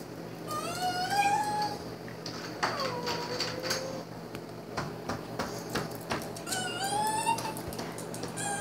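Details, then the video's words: Pet dog crying after its owner was locked in the garage: high, tonal whines with stacked harmonics, one rising then falling and another dropping steeply, coming in three bouts over the clip, with light clatter in a small room. "my dog was crying"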